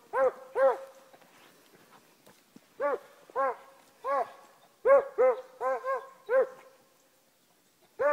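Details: Beagle/Walker mix hunting dog, a working jump dog, trailing from the road while hunting; a series of loud, drawn-out baying howls with rising-falling harmonic tones, about ten in eight seconds, coming in quick bursts.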